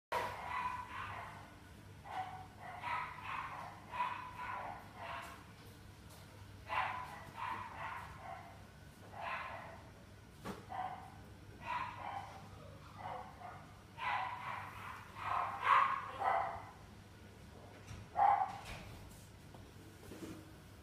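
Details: French Bulldog at the Inu no Ie pet shop, Kohoku branch, giving bursts of short, mid-pitched barks in irregular clusters over about twenty seconds, a steady low hum of shop machinery underneath.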